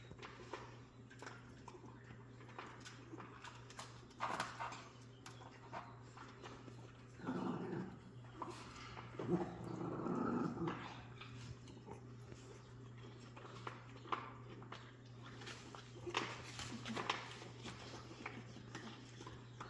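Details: Jack Russell Terrier puppies on 3/7/2024 make scattered scuffling sounds, then a longer low, rasping growl for about three seconds midway, with whimpers and clatter throughout and a constant background hum.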